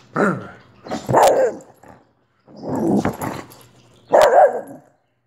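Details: Wheaten terrier named Olive barking in quick bursts: three rough, noisy barks with a sharp click over one and a faint hum underneath, short silences between.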